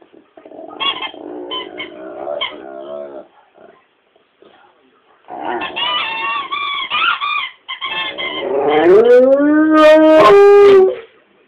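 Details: Rommel the dog howling: broken, wavering harmonic howls in bursts, ending in a long, loud drawn-out howl that rises and then holds steady for about three seconds.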